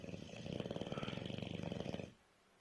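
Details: Tired bulldog asleep indoors, snoring loudly: a two-second burst of rapid rattling pulses in a low throaty rasp, ending abruptly into quiet room tone.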